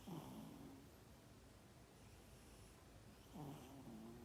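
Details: Cat asleep and snoring, 12 December 2021, two raspy low snores roughly three seconds apart, each a quick dipping glide trailing into a flat buzzy tone, with faint room hiss between.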